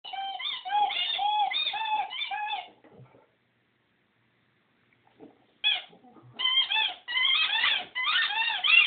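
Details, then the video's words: Vaeda, a singing Rhodesian Ridgeback, gives wavering, yodel-like howled notes in a pulsing phrase, falls silent for about three seconds, then resumes with higher, rising and falling quavering tones. "Singing Rodesian Ridgeback"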